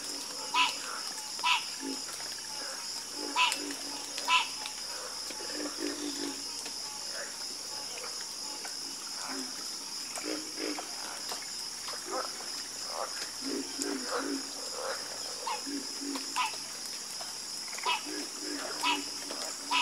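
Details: Chorus of frogs croaking: many short, low, throaty croaks from several callers, irregular and overlapping, some louder ones standing out near the start, over a constant high-pitched buzzing drone.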